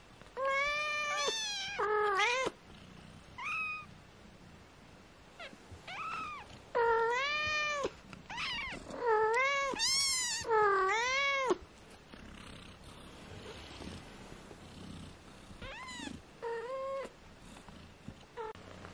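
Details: Four 18-day-old British Shorthair kittens mew repeatedly, each call a high, thin, arched cry that climbs then drops, in bursts from more than one kitten, with quieter rustling between them.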